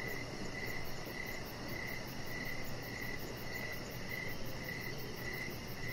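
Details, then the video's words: Crickets chirping outdoors in the evening beside a deck where Rocket, a chihuahua puppy, lies under decoration lights; a steady mid-pitched chirp repeats about every 0.6 seconds, about ten times, over a fast, thin high pulsing and a constant low rumble. "Cricket Sounds"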